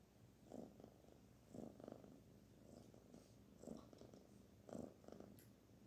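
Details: Barfi, a young kitten, purrs as she is stroked; low rumbling pulses come in clear surges roughly once a second, each swelling then fading, over a quiet indoor background.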